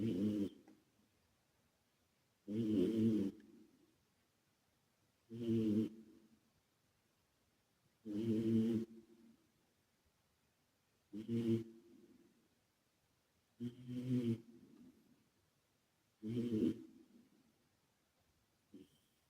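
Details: A male British Shorthair called Calmo, once a rescue cat, lies asleep and snores under an added echo. Steady, gravelly snores repeat roughly every 2.7 seconds, seven strong ones in a row, each fading into a soft tail.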